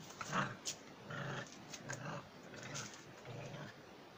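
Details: German Jagdterrier growling in low, rough bursts of about half a second, repeated roughly once a second with short pauses between, over faint background noise.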